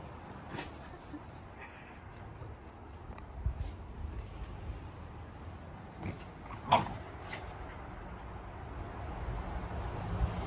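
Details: Komugi, a three-year-old red female Akita, whimpers for her brindle sister Patako's attention, which is held by a bird in a bush; soft brief whines and a thin high squeak around the middle, with rustling and outdoor background noise.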